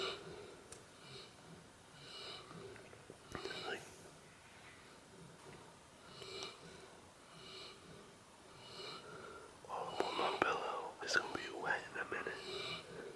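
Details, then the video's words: A pet dog snoring in an odd way, with soft breathy snorts and wheezes repeated about every second. The snorts grow louder and rougher toward the end, over a quiet indoor background. "WORST SNORING DOG EVER"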